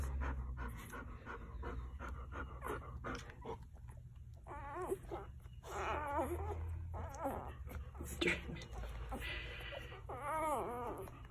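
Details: Quinn's one-day-old Golden Retriever litter under a heat lamp: short, wavering whimpers and squeaks come in scattered bursts among rustling and low background hum.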